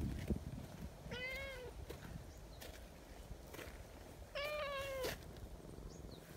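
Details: Talkative silver tabby community cat, friendly and affectionate, outdoors near a bench: two drawn-out harmonic meows about three seconds apart, the second longer and louder, over low background rumble.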